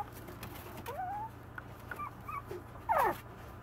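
A Maltese puppy makes a few soft, thin whimpers that slide up and down. Near the end comes one brief, shrill yelp of a bark, quiet against a low background hum.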